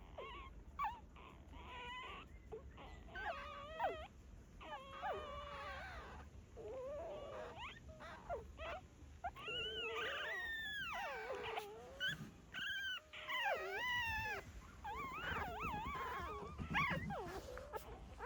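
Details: Dog whimpering around a birth, as a mother dog delivers puppies in a quiet hidden spot; a string of wavering, bending whines, some rising and falling in pitch, with short gaps and a faint low background hum.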